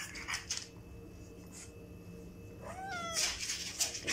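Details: Burmese cat at home quarrelling with a French Bulldog over toys in a mess they made; one short rising-then-falling meow near the end, after quiet room noise, followed by rustling and clatter.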